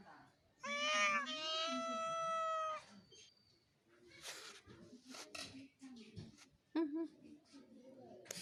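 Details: Real domestic cat giving one long, drawn-out meow of about two seconds, steady and slightly wavering in pitch. Quieter rustles and voice-like sounds follow in a small indoor space.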